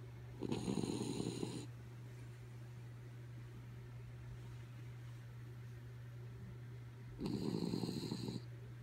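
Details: Sleeping dog Kaya Boo snoring: two harsh, rasping breaths about six seconds apart, each roughly a second long, with a low constant hum and near silence between them.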